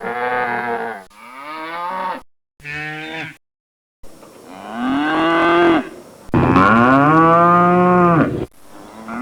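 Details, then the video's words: Cattle mooing: a series of loud, drawn-out lowing calls, some rising and falling in pitch, with abrupt breaks and short silences between them; the two final moos are long and sustained. "Cow Cattle sound effect"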